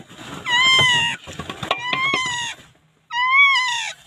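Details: Newborn puppy in the Philippines calling for help, later rescued: three drawn-out, high, wavering cries with a slight rise and fall, separated by scuffling, clattering noise and a brief quiet gap.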